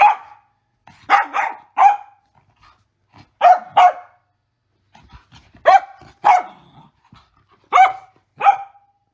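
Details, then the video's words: Sassy female Mini Goldendoodle barking during the zoomies, high clipped yaps in quick pairs and triplets separated by brief silences, some soft huffs between. "Sassy Barking Dog Sounds"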